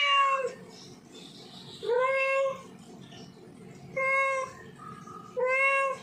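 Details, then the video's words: Male domestic cat in heat calling a female: four loud, drawn-out, harmonic meows, each about half a second, spaced roughly every one and a half to two seconds, over a low steady background hum. "Suara Kucing Jantan Birahi Panggil Kucing Betina"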